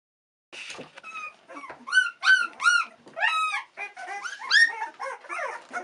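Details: Australian Cattle Dog puppies, sixteen days old, discovering a little more of their world; a series of high, thin whimpers and squeals, each arching up then down in pitch, several overlapping, coming in quick bursts after a brief silence.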